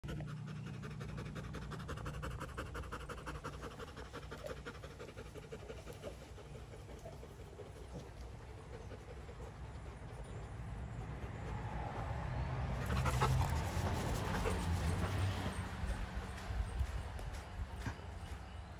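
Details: Rottweiler family resting together: steady, soft, breathy panting at about three breaths per second, growing louder in the final third, with a low rumbling background.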